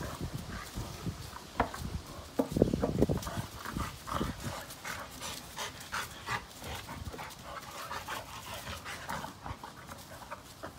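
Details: Two Labrador Retrievers, father Cash and son Kaody, playing together: a burst of low, rough grunts around the middle, then quick rhythmic panting at roughly two to three breaths a second.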